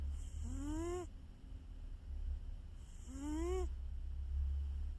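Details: Heavy snoring from a house cat: two short voiced snores, each climbing slightly in pitch and ending abruptly, spaced roughly two and a half seconds apart with a constant low hum behind them.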